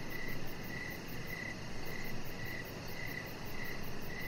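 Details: Evening crickets heard from a deck with a chihuahua puppy lying nearby; about seven clear, high chirps in quick succession, evenly spaced, with a steady hiss and low background rumble underneath.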